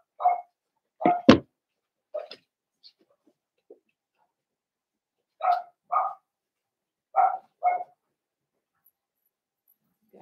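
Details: Blenheim Cavalier King Charles Spaniel puppies from a litter of five born at New Year's, in an indoor puppy pen. Short, sharp yaps come singly and in pairs, with a louder double bark near the start and quiet gaps between.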